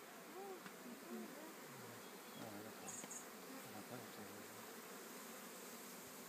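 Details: Honey bees in a swarm make a continuous buzzing hum. Several close bees pass with short, wavering drones early on, and a brief high ticking comes near the middle.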